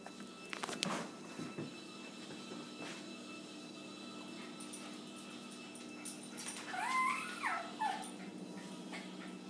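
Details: A pet dog whimpers indoors while trying to reach his ball, giving a couple of short, high, wavering whines near the end amid quiet room noise and a person's encouraging voice.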